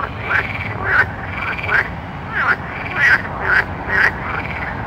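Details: Frogs at night giving short, rising-and-falling croaks about twice a second, bright clicking onsets, several animals answering one another over a faint hiss.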